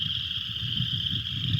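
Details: Upland chorus frogs chorusing by day from a flooded field in McCracken County near Paducah, Kentucky, in mid-February: a dense, continuous high trilling chorus, with a low rumbling noise underneath.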